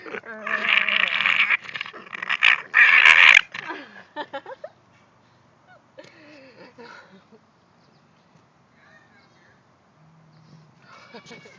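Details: A female English Bulldog with her bone makes loud, raspy, gremlin-like squealing grumbles, then quieter whines as a person speaks softly.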